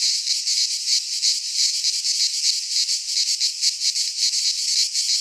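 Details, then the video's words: Greek pine forest cicadas at midsummer give a strident, high, rasping drone with slightly uneven pulses, a few per second, filling the short recording alone. "Cicadas singing in midsummer - Nature sounds from the Greek fauna - Sounds of cicadas"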